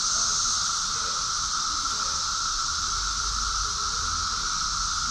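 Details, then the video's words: Summer cicada chorus from Rockville, Maryland, USA, June 2021, a constant shrill buzzing wall of sound with a thinner lower whine underneath and soft low rumbling in the background. "Cicadas song || Cicada's chorus song"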